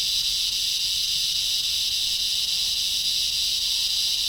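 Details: Loud, strange chirping or buzzing insects in a front-yard tree: an even, shrill hissing drone holds without pause for the whole stretch, faintly pulsing, with no other clear sounds.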